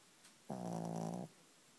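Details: One loud, rasping snore about three-quarters of a second long, low and buzzy with a strong harmonic drone, from a female dog sleeping on a bed at night after being bathed that afternoon; quiet room otherwise.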